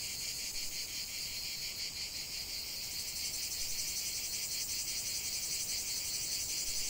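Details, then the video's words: Steady cicada chorus in the open: an intense shrill buzz pulsing several times a second, continuous throughout, growing a little louder toward the end, with only faint background hiss. "45 min de chant des cigales"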